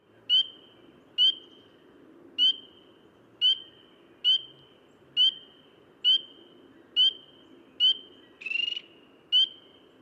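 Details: Spring peeper, a local frog of the eastern US often mistaken for a bird, giving clear rising single peeps about once a second, with a brief buzzier note near the end, over a low steady background hum.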